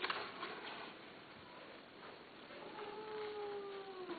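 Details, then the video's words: Persian (Shirazi, Himalayan) cats, a female and a male, mating indoors; after quiet rustling, a long clear wavering yowl that slowly falls in pitch fills the last second and a half. "شيرازي همالاي تزاوج قطط انثى ذكر"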